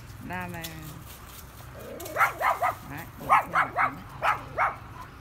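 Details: Small dogs near their home rush out to intimidate a dog passing on the road on a sunny day, the tiny one threatening fiercely: a brief whine, then a rapid string of about seven sharp, yappy barks in two bursts.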